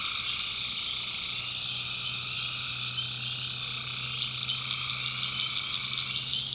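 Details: Tree frogs in a North Carolina backwoods swamp at night: steady ringing high trills from many callers, a rapid rattling pulse entering near the end, and a low droning tone below.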